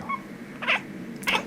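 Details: A domestic cat gives two short, bright chirps about half a second apart, clipped and high, indoors, possibly the chirping a cat makes from excitement and frustration when it watches birds through a window.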